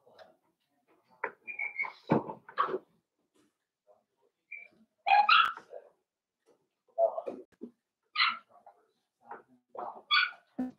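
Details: Daisy's four-week-old Cavalier King Charles Spaniel puppies in their pen, giving a busy run of short whines, squeals and yelps, some high and tonal, others rougher, coming in clusters every second or two with brief quiet gaps.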